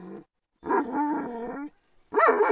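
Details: Kangal dogs worked up as if attacking: deep, rough, voiced growling barks in two bursts separated by a short silence, the second louder and harsher.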